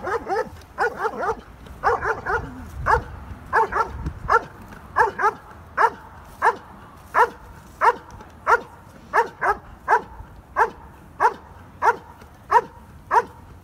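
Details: German Shepherd named Stryder during an IPO1 protection routine at a trial, scoring 95 of 100: sharp barks repeated roughly every half second, bunched at first then steady, with a low rumbling background.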